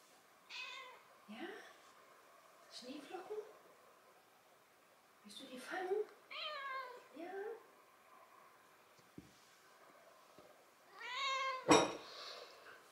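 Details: Six-month-old calico kitten in central Germany answering a person in a little conversation; repeated wavering meows, some rising then falling, in a quiet room, followed by a sharp click near the end.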